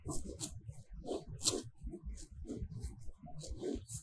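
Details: Close-range grazing cows in a fresh green field under sunshine: a steady series of short tearing pulls of grass, about three per second, mixed with dull chewing.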